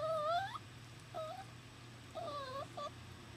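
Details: Young male puppy newly brought to a workplace, missing its mother: a rising whimper followed by short, bent, high whines in quick succession, over a quiet indoor hum.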